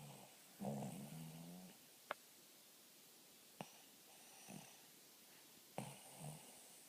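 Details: Dog snoring: one loud, rough, buzzing snore lasting about a second, then softer snuffling breaths later on, with a few sharp clicks breaking the steady background hiss.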